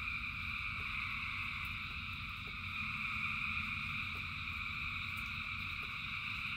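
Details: Thousands of frogs in the rain keep up a seamless high-pitched chorus of layered trilling, with rain noise filling the low end and faint drops ticking at intervals.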